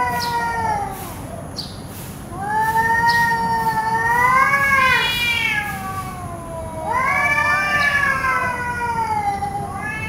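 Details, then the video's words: Cat giving long, wavering meows in three bouts, each rising then bending down in rich harmonic tones, with a steady low hum underneath. "CUT CAT ANIMAIL"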